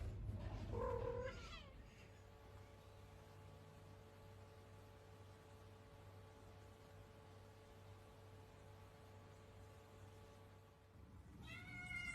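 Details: Domestic cat giving a short, wavering, harmonic meow-like cry at the start. A long stretch of steady electrical hum follows, and another rising, harmonic cry comes at the very end.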